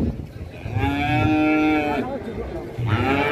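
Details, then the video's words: Cattle raging while being loaded onto a truck in Indonesia: a long, loud harmonic moo lasting over a second, falling slightly at the end, then a second moo begins; low rumbling handling noise underneath. "S4PI NGAMUK NA1K TRUK"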